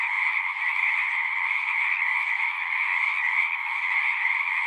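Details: Frogs in a dense chorus at a pond in a horse pasture, recorded with a Zoom 6: a steady, unbroken trilling din with bright paired pitch bands, many callers overlapping with no pause.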